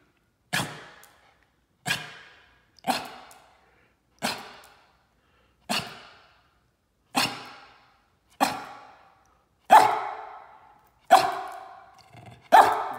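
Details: Berger Picard, a male dog named Spence, barking indoors after a walk: ten loud, sharp single barks, each with a quick decaying tail, spaced about every one and a half seconds against a quiet background.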